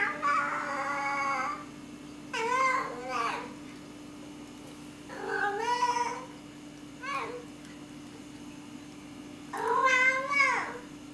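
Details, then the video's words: Domestic cats with cabin fever, filmed on a Canon T2i camera: five drawn-out, wavering meows with rich harmonics, some rising then falling, spaced two to three seconds apart over a steady low hum. "Cats Having Cabin Fever"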